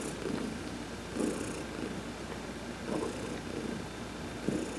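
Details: Heidi, an adopted cat, massaged while sunbathing on November 19, 2020, purrs steadily: a deep grainy rumble that pulses in stronger surges roughly every second and a half, with faint airy rustles above.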